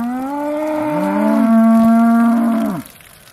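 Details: Aussie Red dairy cow shortly before milking in December 2012, a sustained low moo with overlapping tones, held for nearly three seconds then falling away.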